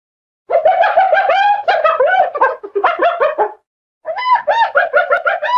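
A hyena gives rapid, harmonic yelping notes that rise and fall in quick, giggling runs.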